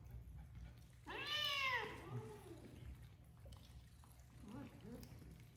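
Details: A shelter cat in Japan, housed in a former elementary school, lets out one loud, drawn-out, arching meow, then two soft, short chirping mews after a pause, over a low room hum.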